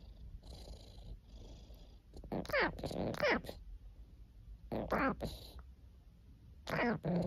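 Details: Domestic cat making several short, harmonic calls that slide downward, some in quick pairs, separated by quieter stretches of low indoor rumble.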